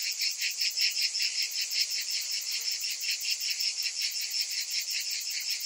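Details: Summer cicadas in chorus, a continuous shrill buzzing that throbs rhythmically about three times a second, unbroken and with no other animals or noise.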